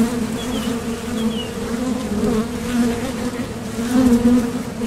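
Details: Honeybees buzzing at the mouth of a top bar hive while foraging for nectar, a dense even hum with soft rising and falling pitch as bees take off and land.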